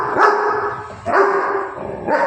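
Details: Three loud barks from a Labrador Retriever at home, each a sharp onset sliding into a held, slightly whining tone, about one per second, with no other clear sounds between them.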